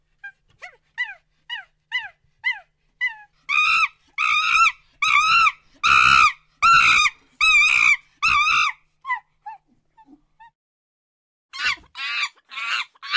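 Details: Monkey vocal bout from a jungle recording: soft rising whoops quicken into loud, ringing, harmonic barks about one per second, then a lull with faint squeaks before harsh screams resume.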